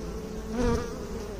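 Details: A brief, low honey bee buzz that swells as one bee passes close midway through, its hum briefly rising in pitch before fading back into the background drone.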